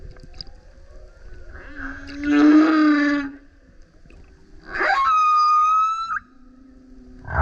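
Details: Loud song of a male humpback whale repeatedly coming up beside a kayak: a rich harmonic moan, then a sharp upsweep leading into a long level whistled tone, followed by a low hum and the start of another sweep.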